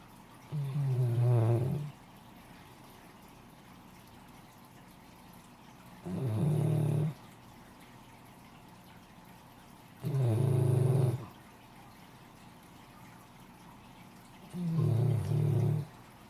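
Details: Female Great Dane named Sarah asleep and snoring in a quiet room, four throaty, growly snores spaced about four seconds apart, each about a second long, in a steady sleeping rhythm.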